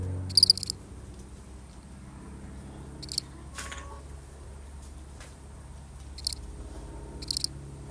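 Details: One lonely cricket chirping more faintly and irregularly, four short high pulsed chirps with longer gaps, plus a brief soft noise burst midway over a low background hum.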